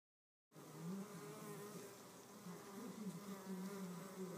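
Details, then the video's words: Red mason bees fighting over a nest cavity with pushing, shoving and biting; a continuous low buzzing hum, wavering and intermittently louder, over a faint broadband hiss. "Red mason bees-the fight"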